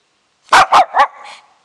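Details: Shih Tzu barking in reply when called: three quick loud barks in a row, trailing into a short whine.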